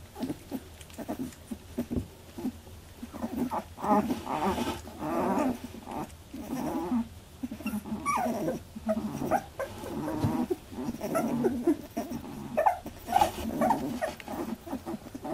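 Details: First milk fight among Labradoodle puppies aged 18 days: a busy jumble of grumbling growls, squeals and brief yelps rising and falling throughout, with shuffling between bursts.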